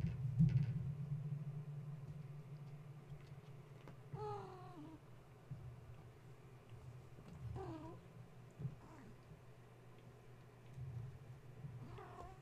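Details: Gaia's kittens, roused from sleep indoors when a space heater was plugged in, climbing and playing instead of settling to nurse; three short rising-falling mews spread several seconds apart, against a constant low hum and faint knocks.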